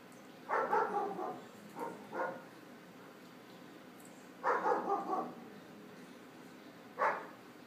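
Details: Young German Shepherd barking at a cat sitting still beyond a patio door; two multi-bark bursts with trailing yelps, then one clear bark near the end, quiet room between.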